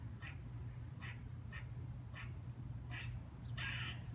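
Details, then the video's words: Squirrel perched on a fence or tree branch, giving a dog-like barking call: short harsh bursts repeated roughly every half second, seven or eight in a row, over a steady low hum. "What a Squirrel Sounds Like! - Squirrel "Barking""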